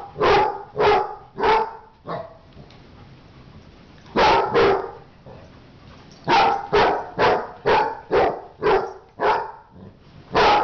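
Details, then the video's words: A dog in a fight barks in rapid runs of sharp, rough barks, separated by two pauses of a couple of seconds, ending in a fast volley of about eight barks. "dog fight"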